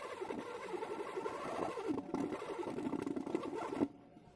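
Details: Western honey bees hum in a steady, low buzz that stops abruptly near the end.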